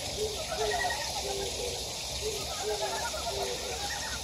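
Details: Chorus of frogs in a mountain stream valley at Gyejoksan, Daejeon, South Korea: clipped low croaks in a quick series, some higher trills, over a bright hiss of running water.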